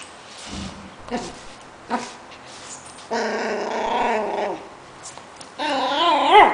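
A Pomeranian gives short yips, then long wavering whines and grumbling vocal noises.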